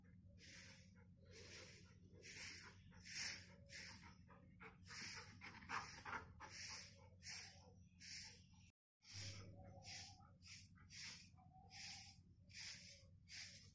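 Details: Golden Retriever panting steadily, with rhythmic breathy huffs of air repeated about every half second, and a brief break in the middle before the panting resumes.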